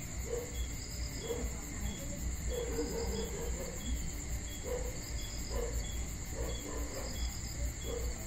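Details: Steady, high, shimmering cricket trill on a peaceful summer night in Georgia, continuous for the whole stretch, set against deep low background rumble and faint repeated soft knocking notes.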